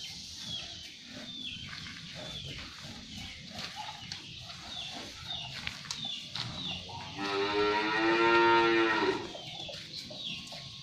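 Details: Sapi londo cattle, shod with shoes, pulling a traditional pegon cart, the last one left in its district; a single long, low, harmonic moo lasting about two seconds late in the clip, over rustling, bell-like tinkles and faint background noise.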